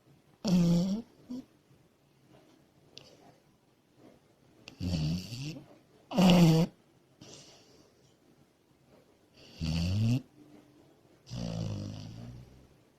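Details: Asleep as a puppy, Komachi the female Labrador Retriever gives loud, rasping snores in irregular bursts, some gurgling and others breathy, with short quiet gaps between breaths.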